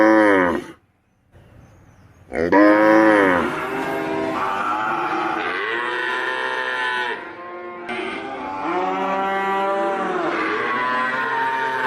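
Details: Cattle mooing loudly: a long nasal moo, a short silence, then drawn-out overlapping moos with rich harmonics that bend up and down in pitch, some sustained for several seconds.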